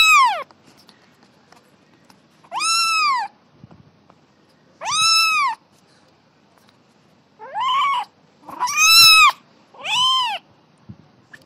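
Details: High-pitched kitten meows while playing, six arched, harmonic calls about half a second long, evenly spaced at first, then quicker in succession; otherwise quiet.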